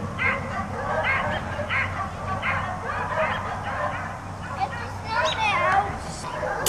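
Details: Dogs kept outside all day bark regularly, roughly every second, then give higher yelps and whines toward the end, with a low hum in the background.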